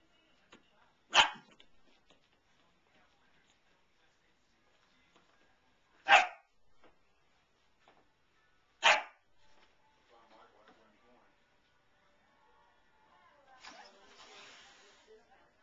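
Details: German Shepherd pup, newly arrived, meeting a cat and a Weimaraner dog at home, recorded November 9, 2008 on a camcorder; three sharp, loud barks spaced three to five seconds apart, followed by soft rustling.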